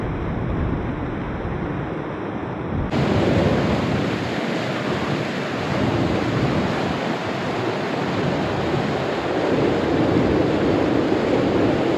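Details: A steady rush of water and wind fills the recording, with no animal calls standing out.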